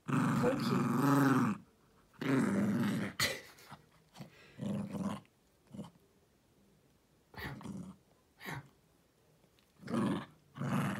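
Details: Dog named Jiffy mauling his toy elephant indoors after dinner gives two strong rasping growls, then shorter, quieter grumbles and snorts trailing off, with a final louder growl burst near the end.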